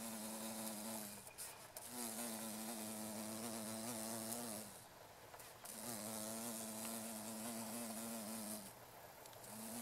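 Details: Carpenter bee females (Xylocopa appendiculata circumvolans) vibrating meadow-rue flowers for pollen in Japanese countryside, mid-August 2013; two long steady harmonic buzzes of about three seconds each, with short breaks and background hiss.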